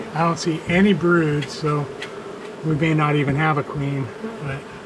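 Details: Honey bees from a long-established colony in a house wall, angry after dark on day one of a March 6 rescue cutout, some slipping through veil tears; loud droning buzzes of bees passing close, steady low hum with bursts fading in and out.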